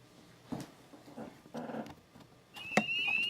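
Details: In the first warm days of Appalachian spring, high, thin peeping of a spring peeper chorus rises near the end after several lower, rough yips from canines; barred owls calling in the background feed on the frogs.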